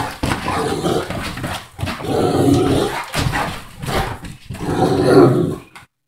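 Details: Great Dane named Titus vocalizing in protest indoors when told to get off the couch; three long, loud, moaning groan-howls of about a second each, separated by short pauses.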